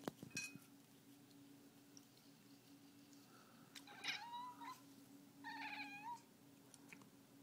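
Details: Pet cat indoors, excited and going mad over birds: short quiet bursts of chirping, chattering calls with rising harmonic sweeps, over a steady electrical hum and faint room noises.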